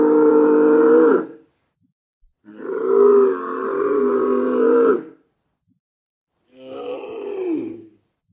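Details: Deep, drawn-out grumbles from a dromedary in the desert. Three rich harmonic bellows, the middle one longest at over two seconds, the third shorter and falling at its end, with silence between.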